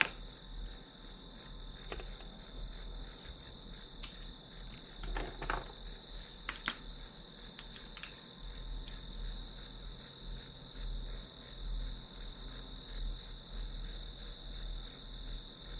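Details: Grass insects keep up rapid, evenly pulsed high chirping over a constant ringing band, interrupted by a few sharp clicks and taps, with a low hum beneath.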